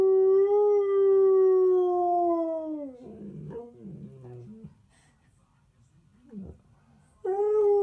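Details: Husky/Malamute lying down and howling along to a toothpaste advert on television: a long steady tonal howl slowly sliding downward over three seconds, then quieter background murmurs, and a fresh howl starting at the end.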